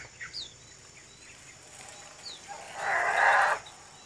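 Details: Herd of wild Sumatran elephants in East Aceh, Sumatra, Indonesia, gives a brief, raspy, brassy trumpet lasting under a second, preceded by high bird chirps and whistles in forest ambience.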